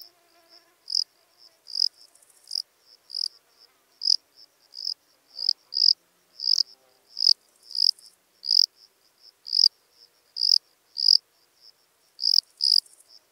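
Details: Lesser field-cricket singing at Breitenbrunn, Austria, 23 May 2021, a steady series of short, shrill, high-pitched chirps, roughly one every half second to second, slightly uneven in spacing, with otherwise near silence.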